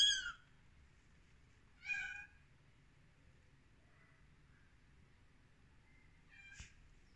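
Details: Rescued kittens on their thirteenth day giving a few high, thin mews, two at the start about two seconds apart and a faint one near the end, otherwise quiet room.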